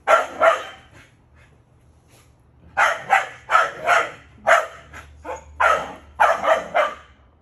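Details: Male Keeshond dog in a backyard, where he sometimes barks nonstop and bunny hops; sharp barks come in pairs and short bursts, about eleven in all, with brief pauses between groups.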